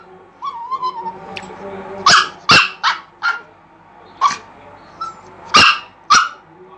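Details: Chihuahua drawing attention, giving a soft whine followed by short sharp high yapping barks in irregular bursts, about eight barks with pauses, against a quiet indoor background.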